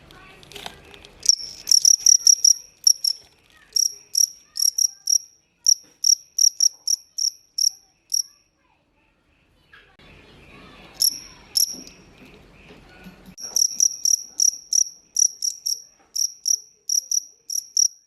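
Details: Cricket, locally jangkrik, chirping up close in bursts of sharp, high, evenly spaced chirps, a pause of several seconds with faint rustling and handling noise, then chirping resumes.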